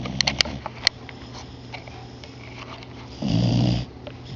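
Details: Sleepy beagle indoors giving a single short rasping snore near the end, preceded by a few faint clicks and rustles.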